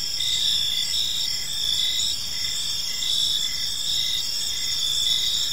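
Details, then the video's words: Crickets chirping in a park on an evening, a dense high-pitched chorus of steady trills with overlapping pulsed chirps, several insects calling at once, with faint low background rumble. "Cricket Sounds in a Peaceful Park"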